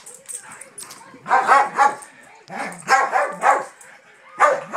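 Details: Daisy, a dog who badly wants to play, bothers her reluctant older sister dog. Scattered harsh barks come in short pairs and triplets, mixed with a person's low talking.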